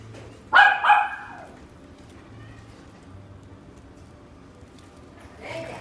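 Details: Gold-coated female miniature dachshund, born 15 October 2018: two quick, bright barks in a row, a pause with faint background hum, then a softer bark at the end.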